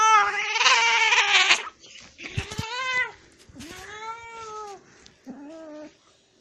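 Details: Angry cat opening with a harsh, noisy hiss-like growl, then a series of wavering, arched yowls that rise and fall, ending on a shorter, lower moan; close and loud indoors.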